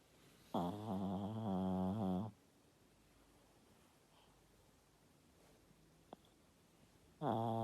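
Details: Sleeping Yorkshire Terrier snoring indoors: a long droning, harmonic snore lasting about two seconds, a quiet pause, then another snore starting at the end.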